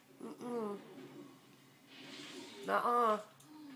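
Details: Siberian Husky named Havoc complaining indoors because he is not allowed on the bed: two drawn-out, wavering, harmonic vocalizations, the first short and the second louder, separated by a quiet gap.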